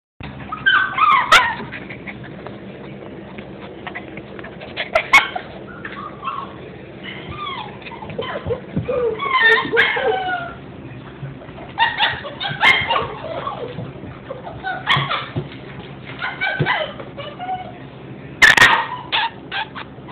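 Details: Alaskan husky puppies heard as a litter, giving continual high whimpers, squeaks and short yips in overlapping bursts, with occasional louder yelps and faint background noise.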